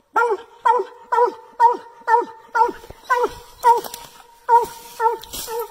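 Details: Bluetick Coonhounds barking treed at a tree: steady, regular, harmonic barks, roughly two per second, each a short hooting chop that falls at its end, with a ringing tone held between barks.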